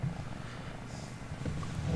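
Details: Veeya, a pet cat, coming in for some loving during a live stream: a brief low rumbling purr, steady and continuous, with faint indoor room noise.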